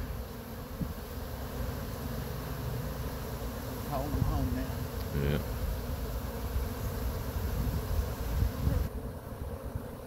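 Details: Honey bee swarm near Chattanooga being slowly brushed off a pine tree into a box with frames, the bees growing agitated; a steady low droning hum throughout, with brief human voices in the middle.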